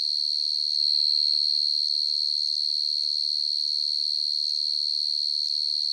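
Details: Night chorus of a cricket, the dế mèn or dế cơm: a continuous shrill trill of fast, even pulses at a constant high pitch that swells slightly near the start.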